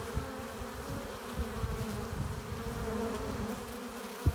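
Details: Hive entrance of honey bees returning with pollen and nectar, heard as an even, dense low buzz with a steady tonal drone and little variation, a brief sharp tick at the very end.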